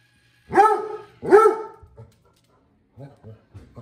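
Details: A Basset Hound, apparently concerned about a floor-cleaning Roomba in the house, gives two deep, resonant barks, followed by softer grumbling sounds and a person speaking.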